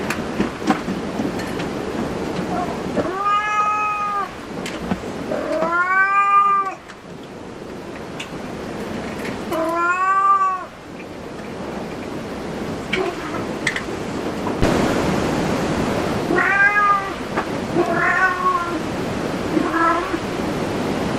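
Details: Cat at a cat cafe giving drawn-out, arching meows, some stretched and wailing, spaced a few seconds apart, then three shorter meows near the end amid constant room noise and rustling.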